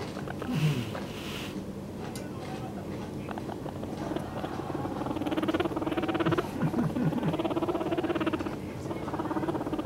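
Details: A 2-month-old male pet guinea pig gives a low, vibrating rumble of rapid pulses; the owner suspects a mating call rather than a threat.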